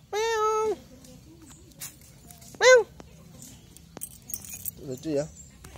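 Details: A white Angora cat gives a long, steady meow, then a shorter arched one, with softer mews later.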